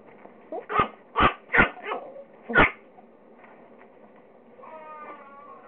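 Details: Four Pekingese-Chihuahua mix puppies chase each other and play; four or five short, sharp high-pitched barks in quick succession, then a faint whine at the end.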